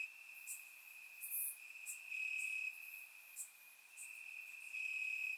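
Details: In grass on a warm summer night in Bulgaria, crickets keep up a constant thin, high trill, recorded in surround sound; intensity rises and falls in waves while short crackling buzzes flicker over the top.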